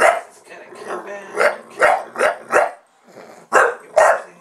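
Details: Buster the Bulldog barks at the camera as soon as it is switched on: short, hoarse barks come in an uneven run of about six, with a human voice talking at the start.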